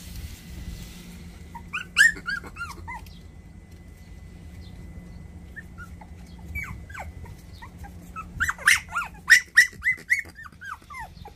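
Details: Puppies 24 days old giving high, thin squeaks and whimpers. A short burst comes near two seconds, then quieter scattered cries, then a quick run of sharp yelps near the end over a low steady hum.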